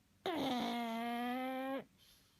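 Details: Pug asleep indoors giving a single long snore of about a second and a half: an abrupt, steady, reedy, whistling tone that starts with a slight downward slide, holds level, then cuts off against a quiet room.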